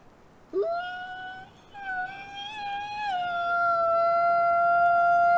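A wolf howls in a long, smooth tone that swoops up, holds, then drifts slightly lower.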